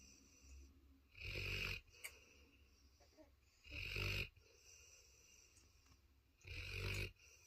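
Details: A sleeping Cane Corso snores steadily: three long, raspy, broadband snores, each lasting about half a second, spaced roughly two and a half seconds apart, with soft breaths in the gaps.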